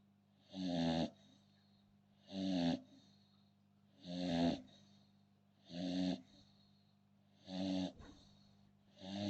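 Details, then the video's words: Rhythmic snoring from an American Bully, six gravelly rattling breaths at an even pace of about one every one and a half seconds, a low steady hum underneath. "American Bully snoring"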